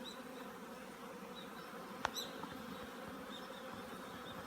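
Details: Honey bees at an apiary preparing their colony for winter; a steady, dense low hum of many bees droning continuously, with a single sharp click near the middle.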